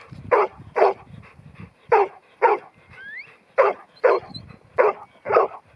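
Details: Ten-month-old New Zealand Huntaway bitch named Ruby, Lot 121 for Skipton, giving deep, full barks roughly every half second in pairs, with one brief rising whistle in a pause.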